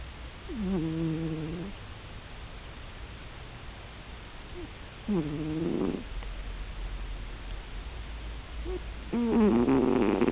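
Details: Cat in deep sleep giving loud, buzzy, tonal snores roughly every four seconds. Each snore lasts about a second, and the last is harsher and louder.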